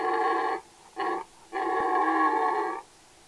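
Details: A red deer stag roars during the mating season in three hoarse, drawn-out bellows, the last one longest.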